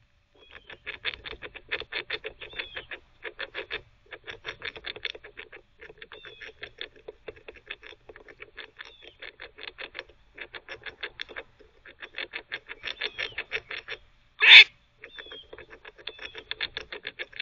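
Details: A squirrel visiting a squirrel teething cafe barks while teething: rapid runs of short, raspy, clicking pulses, several each second, come in bursts broken by brief pauses, with one sharp loud snap near the end.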